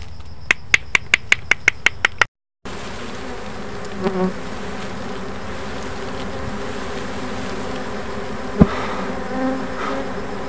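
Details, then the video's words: Rare bees in a forest during a honey harvest: a run of sharp rhythmic clicks opens, then a steady low droning buzz from the swarm continues, with occasional knocks. "Harvesting bees by a man in the forest, rare bees"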